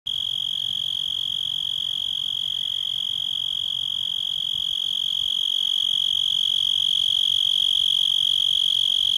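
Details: A cicada singing in a yard: a continuous, piercing high-pitched buzz held steady throughout, with a rapid pulsing texture and slightly rising loudness toward the end.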